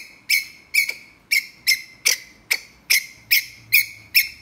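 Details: Ground squirrel calling earnestly to a mate with a run of ten piercing, clipped chirps spaced about half a second apart, each a high, bright burst that fades quickly, and a faint low hum toward the end.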